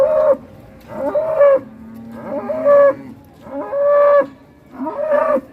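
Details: Repeated short moos from cattle rampaging while ploughing, five nasal, steady-pitched calls at roughly one-second intervals with faint lower tones between them.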